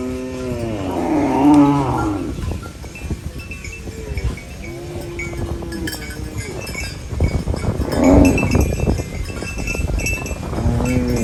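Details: Cow munching banana leaves in the countryside moos several times, with short low calls spaced a few seconds apart. Steady crackling and crunching noises run throughout.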